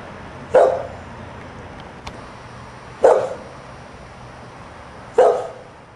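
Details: Sunday morning, a dog kept outside while the family is indoors barks three times, each bark short and punchy, spaced about two to two and a half seconds apart, with a faint click between.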